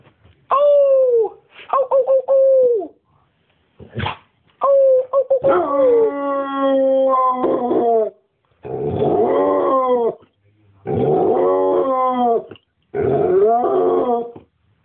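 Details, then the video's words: A male Basset Hound gives a series of long, mournful howls that bend up and down in pitch. "Elvis the Basset Hound Howl"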